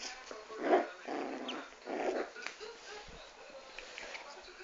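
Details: Dwarf Pomeranian named Chanel barking three times in a row, the first bark loudest and sharpest, the next two coming roughly every half second, then quiet with faint talking behind.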